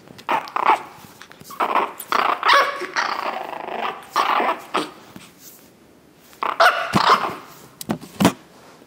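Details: Chihuahua puppies recorded on 9 April 2016, barking and growling in rough clusters of rapid, scratchy yaps, a burst-filled stretch, a pause near the sixth second, then more yapping and a few isolated sharp barks.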